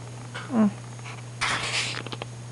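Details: Pet cat named Rain, indoors at 11:30 at night: one short, falling meow with a clear tonal quality, followed by a burst of rustling noise and a few clicks over a steady low electrical hum.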